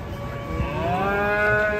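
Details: Agitated, rampaging cow being unloaded from a truck, tied with a single rope; a long harmonic moo that swells and rises slightly in pitch partway through, with men's voices nearby.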